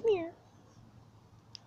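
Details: Feral cat named Cry Baby, hand-fed snacks outside in the dark at night, gives a single short falling meow with clear harmonics. A faint low hum and a tiny click follow in an otherwise quiet background.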